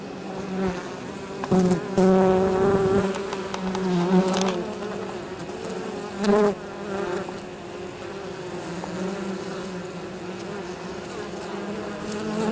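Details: Honey bees returning to their hive with pollen and probably nectar on 23 October, on an exceptionally mild day, near fields by the apiary; a steady low buzz with individual bees swelling loudly past around two, four and six seconds.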